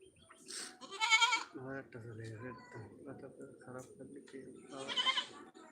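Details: Two Baruna goats, one red and one black. The clip holds two loud, quavering bleats, one early and one near the end, with men talking in Bengali between and around them.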